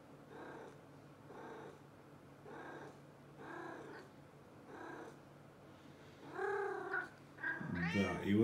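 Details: Maine Coon cat, 2018: a run of short, soft harmonic chirrups about once a second, followed by a clearer drawn-out meow and a louder wavering meow at the end.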